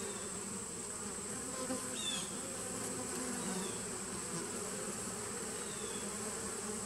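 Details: Nucleus colony of honey bees established 2017, heard 19 September 2018: a continuous humming buzz with a slight swell in the middle and a couple of faint high chirps in the background.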